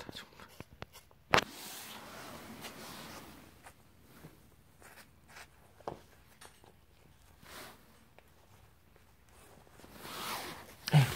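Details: Indoor rustling, soft thumps and shuffling handling noises, with faint speech.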